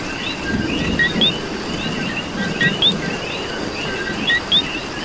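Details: Rainy night chorus of coqui frogs in Puerto Rico, with crisp two-note co-qui calls, low then high, repeating irregularly from several frogs over a wash of falling rain.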